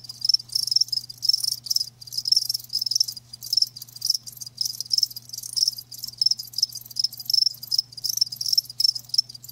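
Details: Chorus of live crickets: shrill, pulsing chirps in quick overlapping bursts, loud and near, rising and falling in waves, a faint steady low hum in the background.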